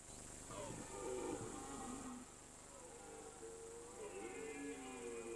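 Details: Rutting red deer in mountain pasture, autumn rut season: a drawn groaning roar near the start, then a quieter second bellow with bending, wavy harmonics later on, over a constant low hum.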